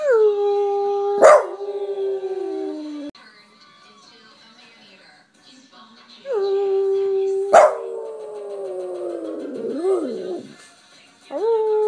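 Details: A Boston Terrier trained to sing gives long, wavering howls that slide downward at the end, while his owner nearby asks "can you sing" and praises him.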